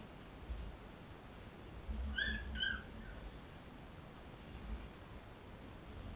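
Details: Labrador Retriever puppies, 13 days old, nursing from their mother Cecilia: two short high whimpers in quick succession near the middle, then soft rustling and quiet suckling noise.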